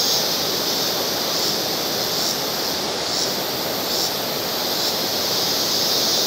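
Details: Cicadas singing in the background: a dense, steady high-pitched hiss in two bright bands, with the lower band swelling and fading roughly every second. No other clear sounds stand out.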